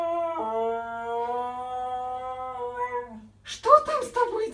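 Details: Howling Siberian Husky, described as crazy and hyperactive: a smooth sustained tone that steps down slightly early on and fades after about three seconds, followed by a burst of broken, noisy vocalising.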